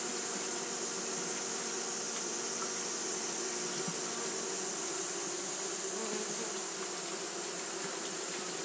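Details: Continuous hum of Japanese honey bees fanning during hot weather, a smooth low droning buzz holding level throughout, topped by an unchanging high-pitched hiss.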